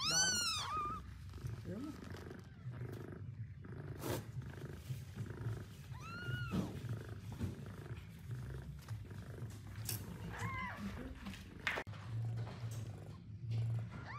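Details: Newborn kittens give thin, high mews that rise and fall over a steady, low rumbling purr while their mother cat eats her first meal after giving birth.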